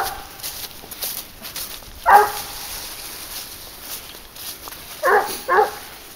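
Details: Wild boar hunt with Garuo, a 22-month-old dog on the leash; one clear bark, a pause of three seconds, then two quick barks close together over quiet rustling background.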